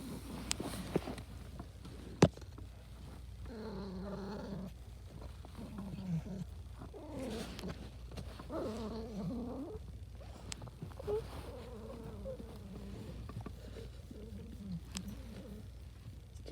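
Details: Pet cat vocalizing indoors in happiness: soft wavering chirrups and trilled murmurs, several short bursts around mid-pitch with gaps between, over a low steady rumble and a few clicks.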